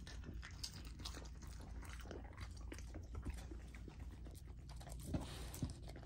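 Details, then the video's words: Chewing and biting from Lilo, a golden retriever puppy working through raw chicken and sockeye salmon, with wet slurps, scattered crunches and a few louder bone snaps against a low room hum. "Golden Retriever Puppy Raw Dinner : Chicken Drumstick & Thigh , Sockeye Salmon ASMR EATING"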